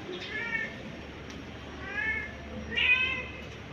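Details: Domestic cat, a mother searching in panic for her kittens, calling three drawn-out harmonic meows spaced about a second apart, each slightly rising then falling, over a steady low background rumble and hiss.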